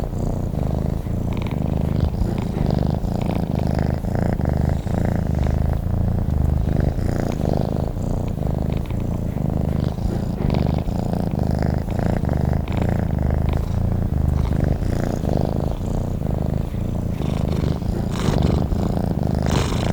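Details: A domestic cat purring while asleep: a steady low rumbling purr in long pulsing phrases, inhale and exhale cycles alternating every couple of seconds, with no other sounds.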